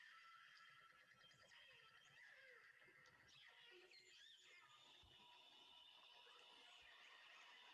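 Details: Killer whales in Johnstone Strait communicate with squealing, sweeping calls over a hissing underwater background.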